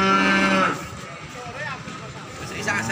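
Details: Peranakan Ongole cattle at a cattle market in Imogiri, Bantul, Jogja, Indonesia: a short low harmonic moo in the first second, followed by market chatter and background voices.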